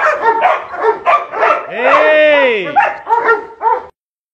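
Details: Two 6-month-old female Dobermann puppies give short, tonal yelping barks around a long, rising-then-falling whine.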